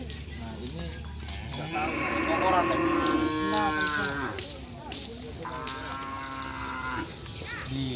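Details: Kerapan sapi racing bulls in training at Lap Asemanis, Pamekasan, on Madura, Indonesia: long, tonal lowing that swells and sags in pitch across several seconds, over a steady crowd murmur and scattered knocks.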